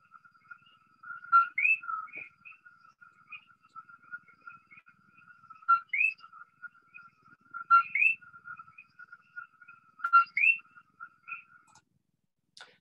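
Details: Common coquí in Puerto Rico, heard nightly: a two-note 'co-kee', a short flat note, said to ward off rival males, then a sharply rising whistle, said to attract females.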